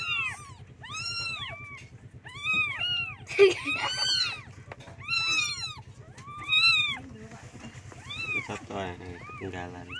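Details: Domestic kittens mewing for their mother to feed them, high arched cries in spaced bursts, a woman's voice briefly calling in between, low hum in the background.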